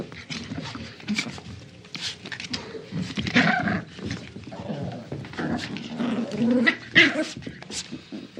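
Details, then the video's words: Playful small dog tugging on a toy: grumbly growls and snorting breaths in short bursts, one sharp high squeak near the end, with steady rustling of the struggle behind. "Small Dog Plays Tug Of War Sound Effect"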